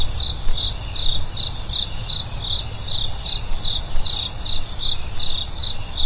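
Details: Crickets at night: evenly spaced short chirps, about two per second, over a steady high shrill insect drone and a low rumbling background.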